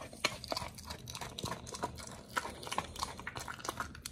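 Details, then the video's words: Raw meat being eaten by pet dogs Oli and Nomy indoors; sticky, wet mastication with crisp clicking bites every fraction of a second, close and intimate. "Oli&nomy VS.🍖RAW Food [ASMR] MUKBANG 犬が生の肉を食べる[咀嚼音]"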